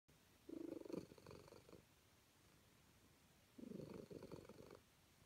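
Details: Calico cat happy to be petted, purring in two rumbling bursts, each about a second long, separated by quiet; low, pulsing texture in a small room.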